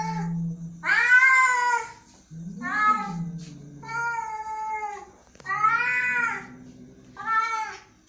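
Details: Angry cat giving long, drawn-out meows that arch up and fall, separated by low rumbling growls; five wailing calls over about eight seconds in a quiet indoor space.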